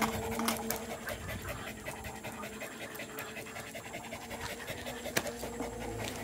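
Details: Indonesian village dog (anjing kampung), a pet dated 18 April 2021, panting on an uphill outing with its owner: fast, rough breathy bursts repeated rapidly, under a steady low hum, with a person talking now and then.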